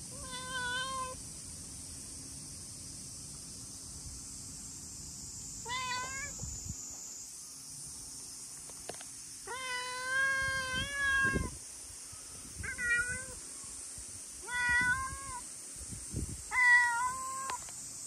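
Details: Chatty brown tabby-and-white stray cat greeting on a hot day, giving a series of clear, drawn-out meows at irregular intervals, several long and level, others short and rising; steady insect-like hiss in the background.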